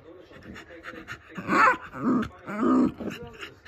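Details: Angry Shiba Inu indoors, upset that its favourite plastic bottle cap has fallen under the sofa. Three louder, strained whining, grumbling vocal bursts about half a second apart, over a quieter background of sports commentary.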